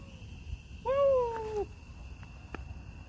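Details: Coyote from a group yipping close by at night during a storm chase in the Mississippi Valley, calling just after the truck was turned off; one wavering, falling tonal yelp under a second long over a steady hum and engine rumble.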